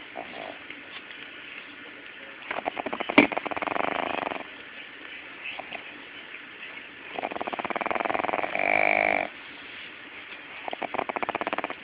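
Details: Pug puppy asleep, snoring: rough, buzzy breathing bursts of one to two seconds, some louder and rasping, alternating with quieter stretches, plus a few snorting clicks.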